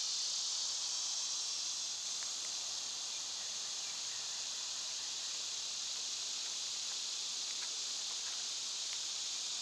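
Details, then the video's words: Cicadas in summer keep up a constant high, rasping drone. Faint, quick ticking chirps from other small creatures are scattered through it. "Birds & Squirrels w/ Cicada sounds"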